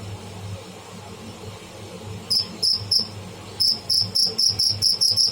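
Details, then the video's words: Live cricket (tidda): after two seconds of low room hum, three high piercing chirps sound, then a pause, then a steady run of sharp pulses several per second. "Tidda making bad sound / noise"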